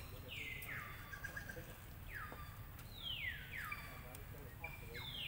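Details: Infant monkey Lucie wailing in protest as her mother denies her milk; five piercing cries that fall sharply in pitch and level off into a sustained whine, coming in quick succession amid light outdoor noise.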